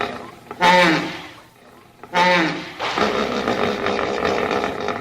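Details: Two loud, brassy honks from a hippo about a second and a half apart, each dropping in pitch, followed by a sustained gravelly rumble.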